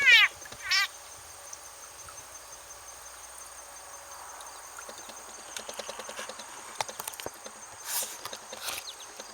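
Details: A frog being eaten by a snake in a goldfish pond gives loud, shrill, cat-like screams of distress, followed by weaker squeaks and rustling.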